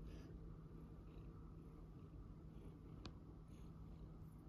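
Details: Pet tuxedo cat held indoors while its nails are cut, purring steadily in a low continuous rumble, with a single sharp click of the nail clippers near the end.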